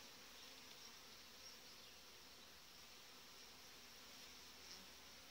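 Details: Strong honey bee colony in its hive in July, a well-developed family led by a breeder queen; an unbroken, hissing hum of countless bees holding level for several seconds.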